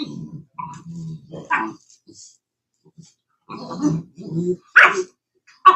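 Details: Cane Corso, an Italian Mastiff at a Tennessee breeder near Nashville, gives low rumbling growls broken by short gruff barks in uneven bursts, with pauses between them and some quiet human voice indoors.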